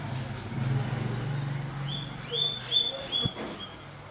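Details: Guinea pigs being given guava: after a low steady hum, a run of high rising whistles begins halfway through, each with bright upper harmonics, about four squeals in quick succession.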